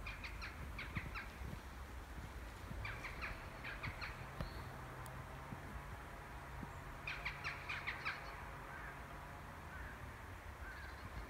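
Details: A red squirrel in a forest gives bursts of short, harsh chucking notes over a low background rumble, with birds around it.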